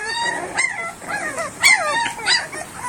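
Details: Three-week-old pit bull puppies cry in high, whining yelps that rise and fall in quick bursts.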